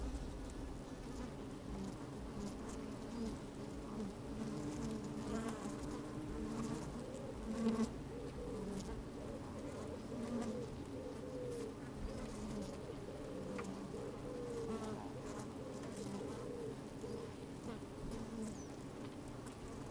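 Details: Honey bees at work in an open hive on a sunny, slightly windy day, microphone placed inside the hive; continuous low buzzing drone with wavering tones and soft rustling, clicking movement throughout.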